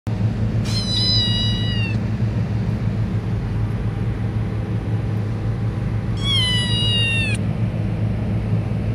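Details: Pet cat meowing twice, long drawn-out harmonic meows separated by several seconds, over a constant low rumbling hum.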